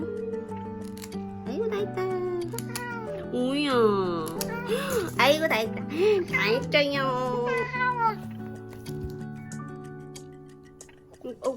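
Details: Domestic cat in a home with thirteen cats, meowing while having its claws clipped; a run of drawn-out, rising-and-falling meows in the middle seconds over steady background music.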